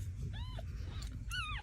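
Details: Mother cat calling her kittens: two short, arched, tonal meows a second apart, the second louder and longer, over a steady low rumble.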